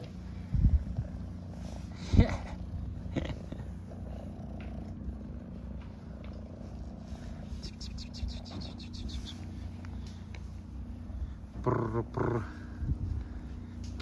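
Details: Purring from a hungry stray cat in Istanbul, waiting with other street cats for food: a continuous deep rumble, broken by a few short bursts of louder sound and a brief high meow, with a man talking softly in Turkish.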